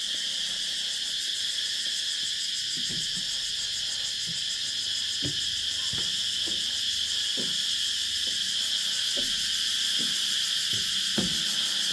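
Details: Dusk insect chorus on Nang Yuan Island, a continuous high-pitched pulsing buzz with several layered callers, plus scattered soft thuds and clicks, likely footsteps, as a person walks past.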